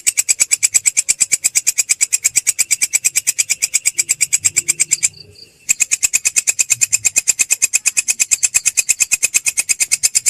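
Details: High, metallic pulse train of a belalang kecek grasshopper, a training sound for songbirds such as shamas and shrikes: fast, evenly spaced buzzy ticks, interrupted once by a short silence midway before continuing.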